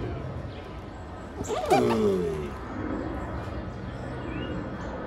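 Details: Giant tortoises mating: one loud, hoarse groan opens with a harsh burst, then slides downward in a stacked, moaning tone for about half a second, over a steady murmur of distant background noise.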